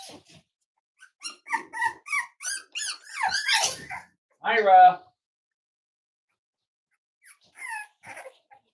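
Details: Five-week-old Cavalier King Charles Spaniel puppies from Myra and Remy's litter, indoors during weight checks on a chilly morning; a run of short, high squeaky whines with one longer descending whimper, mixed with human voices in a small room.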